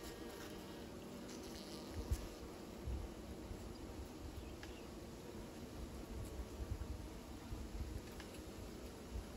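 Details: A continuous deep hum of bees building new nests, strongest in the low range, with a few brief louder thumps and crackles standing out now and then.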